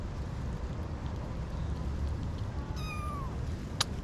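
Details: Kitten around 6-8 weeks old, one of several whose mother has been missing for a week, found at a parking garage gate and moved to a safer spot. It gives one short, high meow that slides downward, over a steady low traffic rumble with a sharp click near the end.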